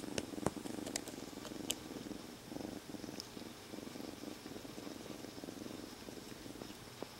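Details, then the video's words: Rescued kitten, outdoors until three days ago, held quietly inside a jacket and purring without pause; steady rumbling purr with breathing pulses, scattered small clicks and fabric rustling. "3日前まで野良だった子猫～ゴロゴロが止まりません Rescued Kitten Keeps Purring"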